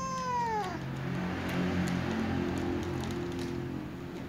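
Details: A new white cat eating while a tom cat and other cats keep their distance; one clear falling meow, rich in harmonics, opens the clip, then steady low background rumble.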